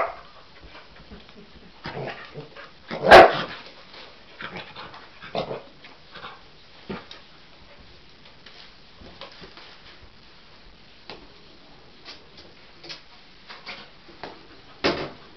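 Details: A Cocker Spaniel-Husky mix dog gives a single sharp bark, then scattered soft yips and whimpers in a quiet room, on seeing a toy animal for the first time and seemingly thinking it is real.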